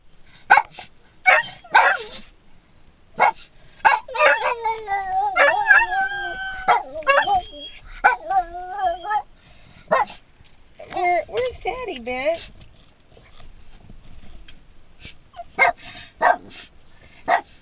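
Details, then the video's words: A Boston Terrier and a standard poodle inside a vehicle bark at seeing their owner standing outside, begging to get out; sharp repeated barks and drawn-out whining yelps with wavering pitch, bursts clustered early and late. "Barking for our dad!"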